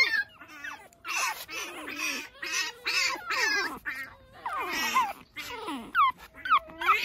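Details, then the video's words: Early-morning Pekingese puppy romping outside, giving rapid overlapping whines and squeals, a dense run of short rising-falling cries with a few sharp high yelps near the end. "찡찡이 아기페키"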